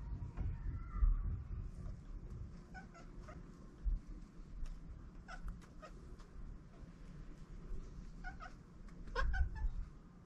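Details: Free-roaming stray cats on a cat island during mating, giving a few brief, soft mewing calls scattered over steady low rumbling background noise.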